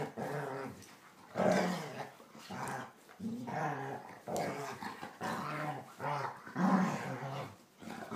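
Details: Two German Shorthaired Pointers playing indoors, younger brother Copper pestering older Zoie; throaty play growls and whiny harmonic vocalizations come in repeated bursts about once a second, with short gaps between.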